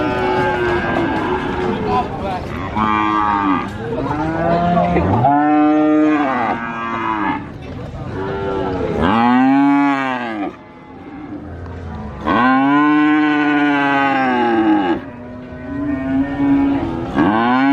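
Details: Several cattle calling at the Sokaraja cattle market in Purwokerto, Banyumas: overlapping loud, arching moos of different pitches follow one another in quick succession over steady market hubbub.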